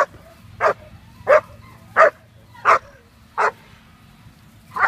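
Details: German Shepherd puppy Quita von Nummer Eins, a female around 6.5 months old, during bitework foundation training; six sharp, loud barks come about every 0.7 seconds in a steady rhythm over a low background hum.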